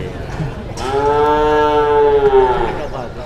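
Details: Jumbo cow that arrived early at a livestock market in Indonesia and at once drew a crowd of dealers; one long, steady, harmonic-rich moo of about two seconds, level then falling slightly at the end, over background crowd chatter.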